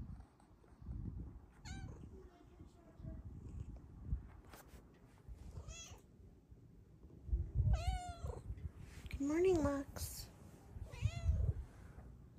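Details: Domestic cat meowing for morning petting and attention as a second cat joins, seeking cuddles; several harmonic meows, some rising then falling, spaced a few seconds apart, over low rumbling handling noise and a voice.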